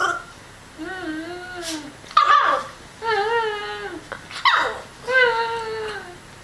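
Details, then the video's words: A Miniature Schnauzer puppy, reacting to its owner making noises, first barks, then gives drawn-out, wavering whines broken by short, sharp yips. "Cute puppy making weird noises"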